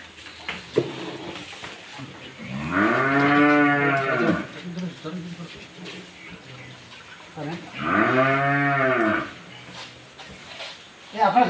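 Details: During a sudden night-time calf delivery in darkness, a cow gives two long, deep moos about five seconds apart, each swelling and fading over roughly two seconds, with faint human voices and shuffling between them.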